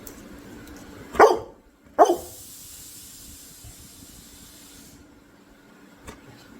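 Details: A Labrador Retriever barks on command as its owner urges it to speak: two short, sharp barks about a second apart, followed by a brief hissing noise and quiet room sound.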